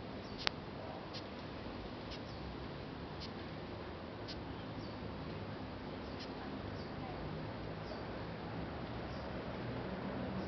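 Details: Squeaking death's head hawkmoth, Acherontia lachesis, Singapore, raised from a caterpillar and later freed: a series of clipped high squeaks about every second, with one louder click early, under persistent background noise.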